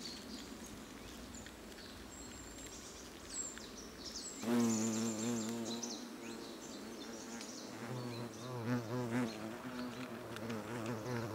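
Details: European hornets (Vespa crabro) at their nest in South Moravia, Czechia, in August, exchanging food mouth to mouth; a low droning hum of several hornets with stacked harmonics, louder wingbeats swelling from about four seconds, faint ticks and scratches throughout.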